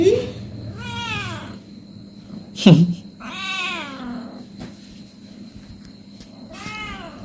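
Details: Pet cat being given a body massage utters long, rising-then-falling meows at intervals of about three seconds, one brief sharp squeak between them, over low background hum and quiet voices.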